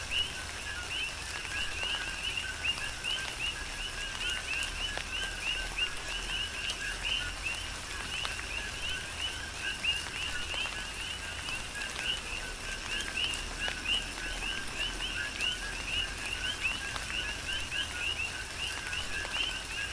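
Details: Many coqui frogs call together through a tropical rainstorm on the Big Island, Hawaii. Their rhythmic rising whistles and lower notes blend into an unbroken chorus, backed by steady rain noise and occasional drip clicks.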